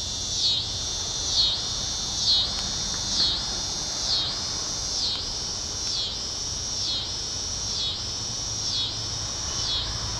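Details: Tibicen pruinosus cicada singing in a backyard at 8:44 pm on May 28, 2012. It is heard unusually early in the year. A continuous high, buzzing drone swells and dips in a steady rhythm about once a second throughout.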